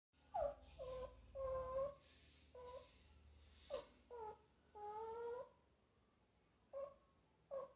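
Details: Small dog crying while watching a sad movie scene indoors: a series of high, drawn-out whining whimpers, some steady and some sliding, in short bursts with pauses between, in a quiet room.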